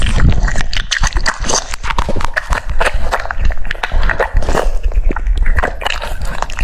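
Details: French Bulldog chewing cucumbers, uneven crunchy bites and smacking jaws, with short gaps between bursts of loud munching.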